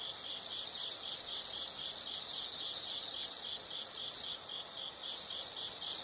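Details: A loud, continuous, high-pitched insect trill rings steadily. It breaks off briefly into separate pulsing beats near the end, then resumes as an unbroken shrill buzz.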